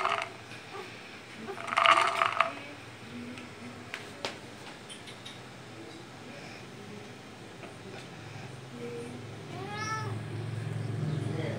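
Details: Pet cat talking while wanting treats; a single drawn-out, rising-then-falling meow near the end, after a short rough vocal burst early on, over steady low household hum and faint rustling.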